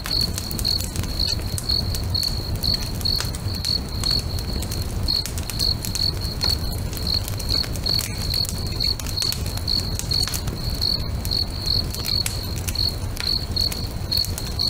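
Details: Crickets at a lake during sunset keep up regular short high chirps, near two per second, beneath sharp crackles of a burning bonfire and a low steady rumble.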